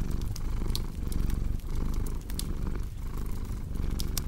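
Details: Low, rhythmic cat purr rising and falling with inhale and exhale, short dips between cycles, accompanied by bright crackle and pop sounds of burning wood.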